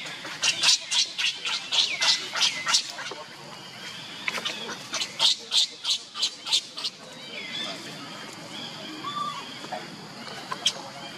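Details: Baby monkey Leo crying as another baby monkey, Lucie, runs to care for him: a burst of shrill, high-pitched cries pulsing about three times a second for seven seconds, then quieter sounds with a few faint chirps.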